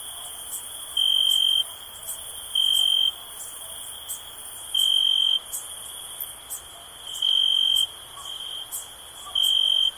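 A cricket gives steady, high-pitched pulsed chirps in bursts, with a faint hiss of other insects behind.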